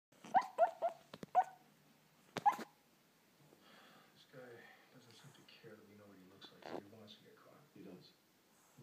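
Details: A female Boston terrier pug mix barks in her sleep, giving soft, muffled woofs and yips over background television speech.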